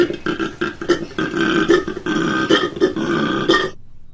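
A koala bellows in a rough, belching series of pulsed grunts that runs for several seconds.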